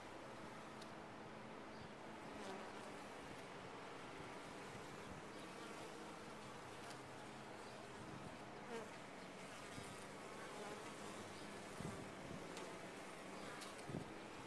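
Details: Steady hive hum of honey bees in a top-bar hive, layered droning with several low tonal bands, occasional soft clicks and knocks over the continuous buzz.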